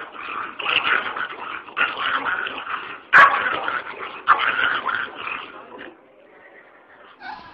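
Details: Domestic dog producing gruff, grumbling barks and short yips in uneven bursts, fading to quiet near the end before a final brief sound.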